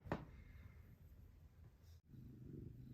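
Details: Stray mother cat that moved in to give birth, with her newborn kittens during their first days: a low, steady rumbling purr, broken by a sharp tap at the start and a brief cut near two seconds.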